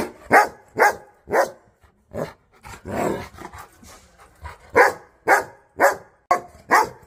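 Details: Angry dogs barking aggressively, a steady run of sharp, punchy barks roughly twice a second with a brief rougher, growly stretch in the middle.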